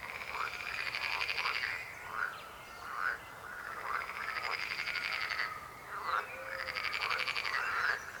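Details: Chorus of croaking frogs, many overlapping rapid pulsed croaks swelling into bursts lasting one to two seconds, separated by brief quieter gaps, steady throughout.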